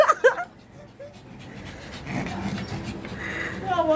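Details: A pet Shih Tzu puppy whines in short, high, tonal bursts at the opening and again near the end, with soft breathy panting noise filling the quieter middle stretch.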